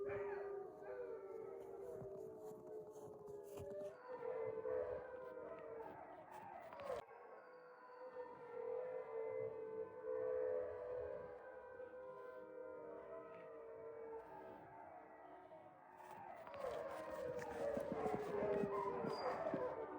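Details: Wolfdogs, descendants of wolves, kept in an enclosure at Wolfdog Forest in snow-covered Hokkaido, Japan, howl together: several long, sustained, overlapping howls layered at different pitches, a brief lull near seven seconds, then the chorus swells again toward the end.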